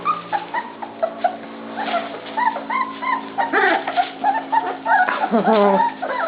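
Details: Several pups yelp and whimper at feeding time, brief bright yips repeated irregularly, growing denser and louder toward the end, over a steady low hum.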